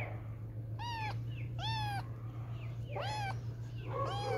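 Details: Playful kittens meowing: four high, downward-curving mews with rich harmonics, roughly every 0.7 seconds, over a steady low hum.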